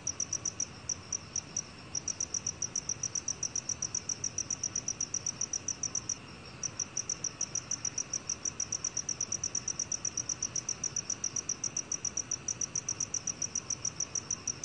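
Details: Steady train of rapid, bright chirps from a black cricket, roughly three to four per second, with one brief pause just after the six-second mark before the even pulses resume.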